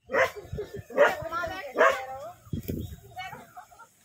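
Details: Desi dogs locked in a fierce fight in an Indian village: three loud, harsh barks about a second apart, then lower rough growling and short broken yelps trailing off.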